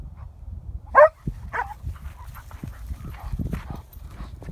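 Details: Timber, a Norwegian Elkhound, barking: one sharp, loud bark near the start, then a softer second bark, against low rumbling background noise.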